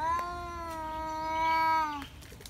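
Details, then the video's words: Caterwauling cat in a village fight between two males over a female, one sustained, steady-pitched wail lasting about two seconds that ends abruptly, followed by soft clicks and rustling. "Two Cats fight each other for beautiful girl"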